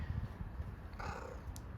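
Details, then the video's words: Hungry grey furry stray cat meows once, a single short tonal cry midway through, against a low rumbling background. "Grey furry homeless cat meows and tells me I'm hungry"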